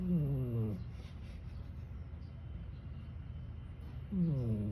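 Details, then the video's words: Sleeping cat snoring in a human-like way: a sliding, tonal snore at the start and another about four seconds later, each dropping in pitch, separated by quiet breathing-level room hum. "his tired catch jerry last night snoring like a human"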